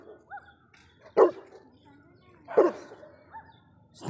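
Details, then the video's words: Saint Bernard dog giving two loud single barks about a second and a half apart, with softer whining yelps between, while a man repeats a short Polish command. "attitude Saint Bernard dog"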